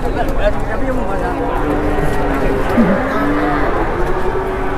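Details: Raging cow (sapi ngamuk) in Indonesia that nearly charged its handler: a long, low, steady moo drawn out for over a second, with men talking throughout and outdoor crowd noise behind.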